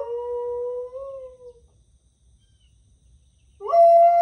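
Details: A dog answers coyotes with howls. A smooth sustained howl rises gently near its end and fades after about a second and a half. After a pause of silence, a second howl starts with a quick upward slide and then holds a steady, higher tone.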